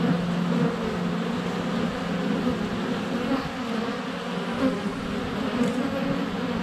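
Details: Close-up honey bee hum at a hive entrance on a sunny February day, captured by a GoPro Hero 7 Black; dense, even buzzing with faint higher whines from passing bees.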